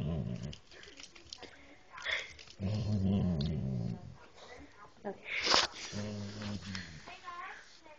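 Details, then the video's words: English Springer Spaniel talking to its owner's mother, drawn-out low moaning and groaning vocalizations in several bursts, rising and wavering, mixed with a person's speech and background music. "Englsih Springer Spaniel talking/moaning"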